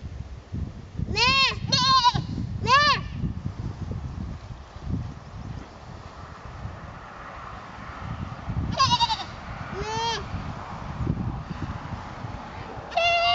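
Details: Goat in a herd, trying to fit in: brief arched bleats rising then falling in pitch, three in quick succession, then a quiet gap, then two more and a final one, over low background noise.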